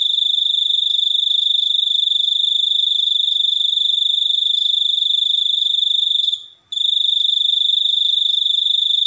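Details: High, piercing cricket chirping in an unbroken pulsing trill, pausing for a moment after six seconds, then continuing.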